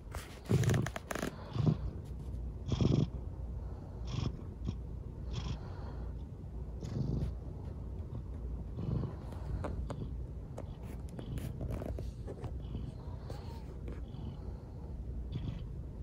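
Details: A rescued kitten, lame after an accident, resting on a man's lap indoors and purring: a low, continuous rumbling throughout, with a few brief rustles and handling noises early on.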